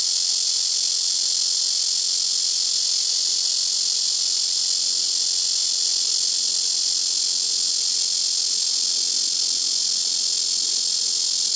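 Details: Blackish cicada (말매미) singing very loudly from a tree by a house rooftop, callers taking turns among nearby trees; a steady, dense, high-pitched buzzing drone that holds unbroken throughout, with no other sounds standing out.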